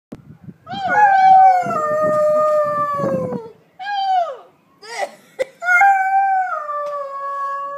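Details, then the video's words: A 2-year-old pet Alaskan Malamute howling in response to police sirens: long sustained howls with a rich harmonic stack, slowly falling in pitch, broken by short pauses and a sharp click, then a steady closing howl. "Alaskan Malamute Howling"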